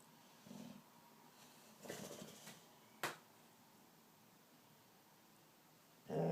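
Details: Pet dog asleep indoors, giving two soft, low, breathy snores about a second and a half apart, then a quiet pause broken by a sharp click and a louder rustle at the end.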